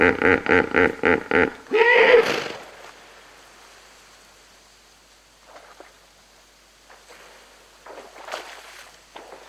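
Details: Hippopotamus group of about 20 splashing in water, recorded close: a rapid series of loud pulsed honks, about four per second, rises into one drawn-out bellow, then fades to quieter splashes and distant snorts.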